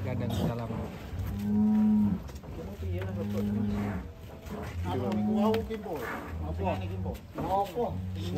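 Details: Huge fattened cattle at Setia Farm, Indonesia, being loaded onto a swaying truck; several deep, level moos of about half a second to over a second recur through the clip, with men talking over them.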